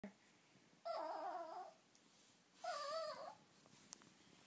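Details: Small pet Chihuahua crying indoors by a nightstand, wanting the laser pointer; two drawn-out wavering whines of about a second each, separated by a short pause, with a person laughing afterward.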